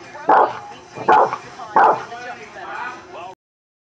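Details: A Boston terrier barking at dogs on TV gives three short, punchy, rough mid-pitched barks about a second apart, then quieter whimpering and whining with background voices before the sound cuts off.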